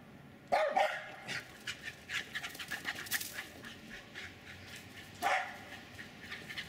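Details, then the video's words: Jack Russell terrier barking while running and chasing in a backyard in Lenexa, Kansas: one loud bark opens the clip, followed by panting and scuffling, then a second bark near the end. "enthusiastic Jack Russell Terriers Jasper and Jaclyn running and barking maniacally"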